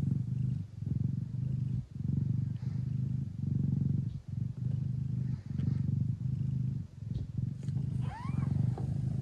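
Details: A Thai (traditional Siamese) mother cat purring hard indoors while nursing her hungry kittens in the Netherlands; a deep, steady, rumbling purr pulses with each breath, roughly every second, and a brief, high, wavering kitten mew sounds near the end.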